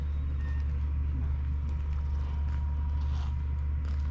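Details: Deep, constant engine rumble from a vehicle with faint outdoor background sounds and a thin tone; no animal voice.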